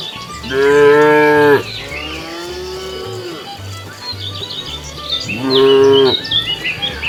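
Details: Cows roaming a road in search of food: a strong, rich moo, a softer lower groan, then another loud moo about four seconds later, with bird chirps scattered above and a low pulsing hum below.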